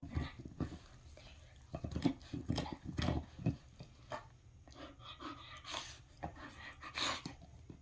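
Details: Pearl, a Bull Terrier, gives a run of short, irregular huffs and snorts, deep and breathy, with a few sharper brighter bursts near the end.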